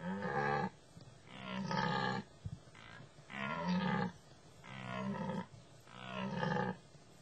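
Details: A dominant male deer during the rut roars in a steady series. Five deep, rough bellows each last close to a second and repeat roughly every one and a half seconds, with a short pause between them.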